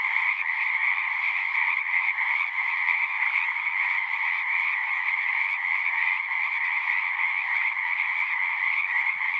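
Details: Many frogs sing together in a dense, unbroken chorus, a steady trilling wall of sound with a bright mid-high band over a lower one. Volume stays even throughout, with no gaps and no other noises.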